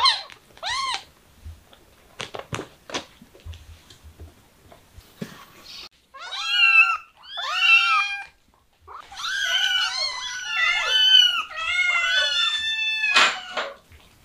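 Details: Domestic cats indoors, several loud drawn-out meows with clear harmonic stacks, some rising then falling, in bursts between about six and thirteen seconds, after softer clicks and scraping at the start.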